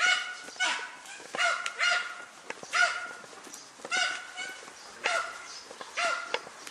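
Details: Dunja, a German Hunting Terrier, on a wild boar hunt outdoors, gives a steady run of about eight ringing barks roughly once a second, each bright and harmonic, with faint rustling and clicks between them.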